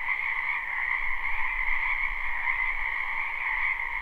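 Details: A spring frog chorus from a wetland behind a house, captured live without loops: a constant layered croaking drone over a soft low rumble underneath.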